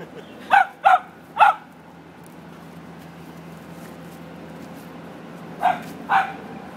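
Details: Mocha, a pet dog, barking during play: three quick sharp barks close together, a pause of about four seconds, then two more barks, over a low steady background hum.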